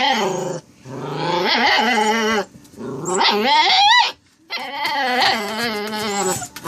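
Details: Saint Dane puppy Faith, kept with Harley, making strange sounds indoors: long, wavering, moaning whines with rich harmonics, rising and falling in pitch, in three drawn-out bouts separated by short silences.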